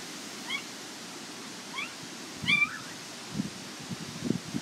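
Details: Border Collie pups of Nell and Skeet at the International Peace Gardens on 12 August 2018 letting out a few thin, high squeaks and one longer wavering whine, with low rustling and handling noises between.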